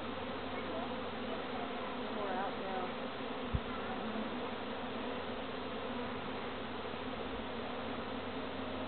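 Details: A steady, dense hum of many visiting honey bees droning together without a break, before being rehomed by a beekeeper.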